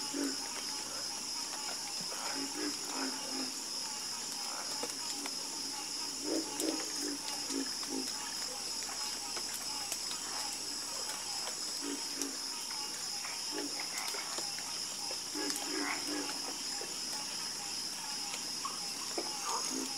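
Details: A harmonious frog chorus of repeated low croaks, often in quick double or triple pulses, overlapping unevenly across the clip beneath a continuous high-pitched insect buzz.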